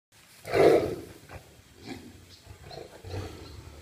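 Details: Siberian (Amur) tigers fighting, filmed on a GoPro: one loud, rough, broadband roar bursts out near the start and lasts about half a second, then fades into softer scattered growls and huffs.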